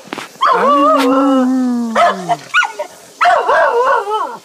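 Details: Jack Russell terrier crossed with beagle, excited by a beagle down the road and wagging its tail: a long drawn-out baying howl that slowly falls in pitch, followed by short yelping barks and a rising, wavering yowl.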